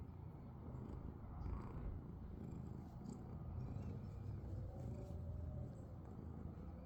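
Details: Sleeping house cat giving a continuous, low, rumbling purr that holds steady for the whole stretch, with a faint background drone of traffic or a vehicle.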